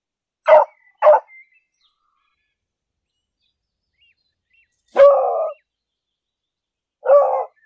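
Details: English beagle in a city park on a walk: two quick clipped barks, then after a pause two longer, drawn-out barks like a short half-howl, loud against a silent background.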